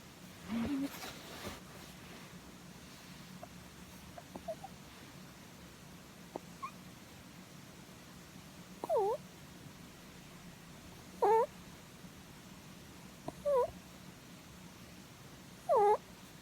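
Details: Pet rabbit asleep and being stroked on the head, giving short high squeaky 'puu' sounds, bending up and down in pitch, about every two seconds and louder toward the end, in a quiet room with a low hum.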